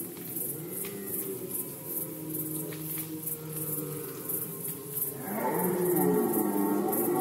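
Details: Rut-season red deer recorded in Poland in 2020: faint low moans at first, then a loud, hoarse roar bursting in near the end and continuing, with steady high pulsing noise throughout.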